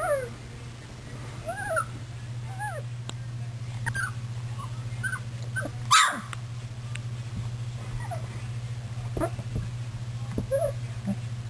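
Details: Puppies milling about on 24 February 2010, giving soft arched whimpers and little yips at irregular intervals, with one sharp rustle or bump midway and a steady low hum throughout.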